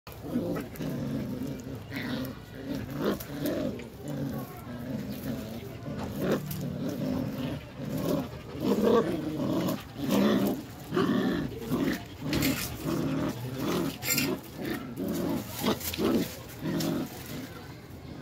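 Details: Belgian Malinois puppies, three of them, growling during tug of war play indoors: low rumbling growls pulse almost continuously in rough bursts, with scuffling and rustling noise throughout and a faint voice.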